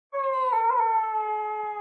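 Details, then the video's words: Dog crying: one sustained, tonal, whining wail, steady and drawn out, with a slight wavering rise in the middle before it levels off. "funny dog crying"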